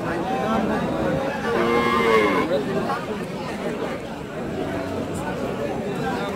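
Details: Dairy cattle at the Chowbaria cattle market in Manda, Naogaon, Bangladesh, recorded 21 September 2018: a short, slightly falling moo near the middle of the recording, surrounded by continuous human talk and market hubbub.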